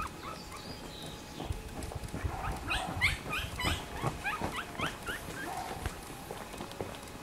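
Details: A litter of black-and-silver Miniature Schnauzer puppies born May 18 lets out a burst of short, high squeaks and whines in quick succession midway through, amid rustling and a low electrical hum.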